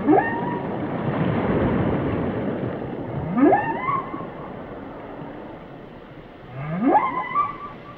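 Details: Rising whale cries repeated three times, roughly every three and a half seconds, each a steep upward sweep flattening into a wavering moan with bright overtones, set against a steady rumbling sea background.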